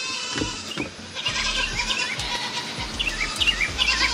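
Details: Baby goats on a farm, due to be weaned, bleating on a hot summer morning: wavering, harmonic cries repeated in quick succession, some rising and falling, with a woman greeting the animals and light music nearby.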